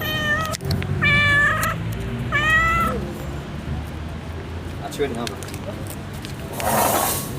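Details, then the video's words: Pregnant domestic cat giving two drawn-out, loud meows with rich harmonics about 1.5 seconds apart, then a fainter short meow near the five-second mark; a man talks in Turkish and a brief rustling burst closes the recording. "Konuşan kedim, hamile kedi"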